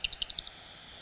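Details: At dusk in an abandoned place, a bat detector picks up echolocation at about 45 kHz, most likely a common pipistrelle hunting moths at night: a quick burst of dry, rapid clicks.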